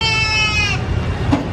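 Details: A brown goat at a busy animal market gives a loud, nasal bleat that wavers and then breaks off, over a low crowd rumble.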